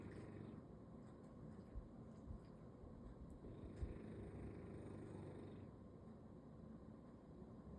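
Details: Sleeping belly-up on a Sunday, a bulldog gives a deep, gravelly snore, a short rasp at the start and a longer rumbling breath midway, over a constant low background hum.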